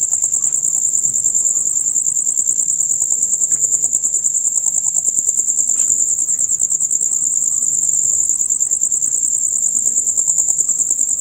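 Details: Rapid loud chirps of male crickets, the everyday concert from dusk until dawn; a bright, sustained, quickly pulsing high trill dominates, with a brief faint knock midway and soft low background noise.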